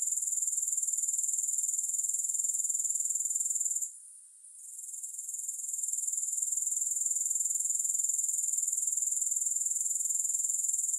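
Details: Grasshoppers chirring without music: a steady, very high, thin buzzing trill pulsing about four times a second, with a brief near-silent dip around four seconds before the sound swells back to full strength.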